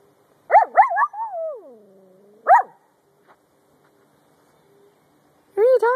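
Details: Brussels Griffon dogs, two females, giving high, wavering yodel-like whines and yips: a quick pair of rising-falling cries, a long sliding moan dropping in pitch, then a sharp yelp and a final wavering cry, with quiet pauses between.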